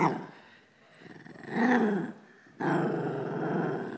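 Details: Sadie, a pet Shih Tzu, growling indoors over her toy; a low, rumbling growl swells and fades, then a second steady rumble starts abruptly and holds, with a person's voice repeating her name nearby.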